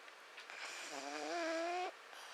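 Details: A sleeping male house cat named Mishu gives one drawn-out snore lasting about a second, a voiced, slightly rising hum with a whistly overtone, against a quiet indoor background.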